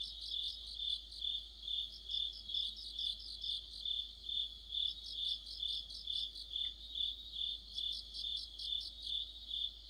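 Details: Crickets with other insects singing together in autumn, a continuous shrill high-pitched tone beneath rhythmic bursts of chirping roughly every half second, steady and unbroken throughout, over quiet low rumble.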